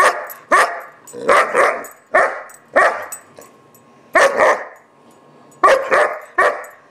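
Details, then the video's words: German Shepherd puppy about 4-5 months old barking in a temper tantrum: loud, sharp barks, often in pairs with short gaps, about nine barks in seven seconds. "Barking Fit 2"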